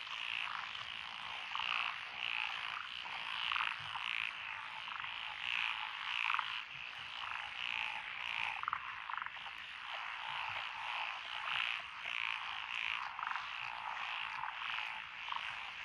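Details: Several frog species calling together in lotus rice fields near Echizen, Fukui, Japan, on 12 June 2021. Regular, bright croaks sound about twice a second over a thick, steady chorus, with occasional lower rattling calls.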